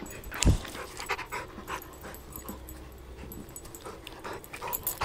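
A Rottweiler gives a low, rumbling growl broken by breathy, panting bursts.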